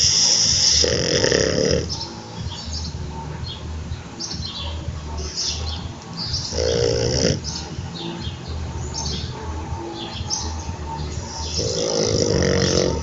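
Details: A French Bulldog snores with eyes open while trembling, in slow, rasping breaths with a nasal hum, one about every five seconds.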